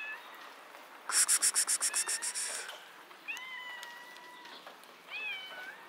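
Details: Cat sitting in a tree answers a person's rapid hissed 'ksksk' calling sounds with two clear meows, the first long and level, the second short and falling, outdoors.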